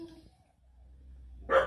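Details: Doberman following commands: after a quiet stretch with a low room hum and faint murmur, a single sharp, loud bark bursts out near the end.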